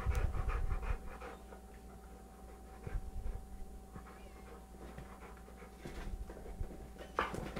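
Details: Bulka, a 3.5-year-old 100 lb American Bulldog, and Maxwell, an 11-month-old 25 lb Beagle, wrestling on a sofa indoors; quick breathy panting and huffing bursts, some louder thumps and grunts, under a steady low electrical hum.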